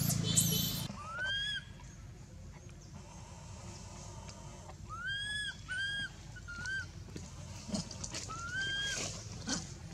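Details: Baby monkey Anissa whimpering in pain at Angkor Wat temple after Aron struck her and dragged her over hard earth. A brief loud noise opens, then intermittent arched, whistled cries, some in quick pairs, with faint high squeals.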